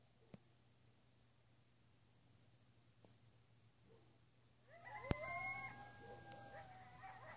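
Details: Coyotes calling at midnight in west Travis County: after about five seconds of quiet night background, a burst of high, wavering howls and yips rises and overlaps, sliding tones layered over a steady low hum.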